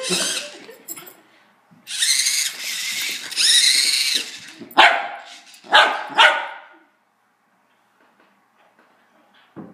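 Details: Female Wire Fox Terrier playing with a remote control car: high, strained yelping and whining bursts for a few seconds, then three sharp barks spaced about a second apart, followed by near silence with faint clicks.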